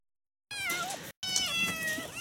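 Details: Caged African wildcat kittens about four months old at a cheetah facility in Africa give high, wavering meows much like a house cat's.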